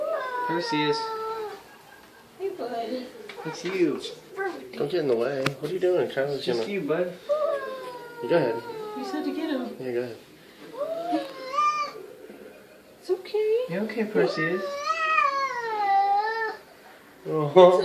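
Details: Perseus, a recently adopted SPCA cat, moans at his own reflection in a mirror: wavering, drawn-out yowls in bursts separated by pauses, mixed with frequent human speech and laughter indoors.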